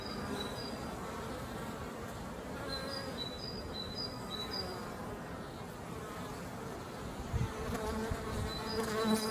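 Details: Western honey bees returning to the beehive with pollen on their legs fill the air with a dense, steady hum of many wings beating at once.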